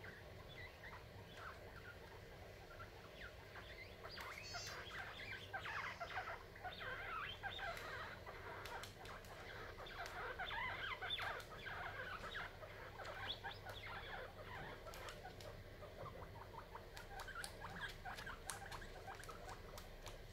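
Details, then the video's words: Guinea pigs fighting over corn and sharing breakfast; a busy run of short, irregular high squeaks and chirps, about two per second, over a low steady hum, with clicks and rustling. "Guinea pigs fighting over corn"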